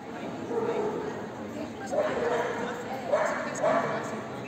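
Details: Magyar Vizsla at the CACIB Oldenburg 2023 dog show, a short-coated hunting breed, giving several short yelping barks spaced about a second apart over a steady murmur of crowd chatter in a hall.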